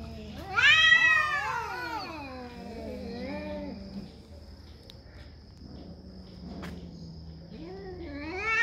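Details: Cat, a territorial animal, calling during a fight over territory: a loud rising-then-falling yowl with rich harmonics, trailing into low drawn-out moaning growls, then another rising wail at the end.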